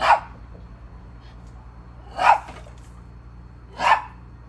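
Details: Maltese barking out of jealousy toward a squirrel, three loud clipped barks roughly every two seconds, each a short bright burst, against a quiet low background hum.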